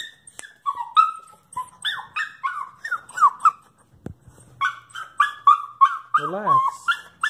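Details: Female miniature pinscher mix puppy, about nine months old, cries from separation anxiety as her owner leaves with another dog for a walk. Rapid, high, wavering whimpers and yelps repeat several times a second, then a longer wail. A woman says "Relax."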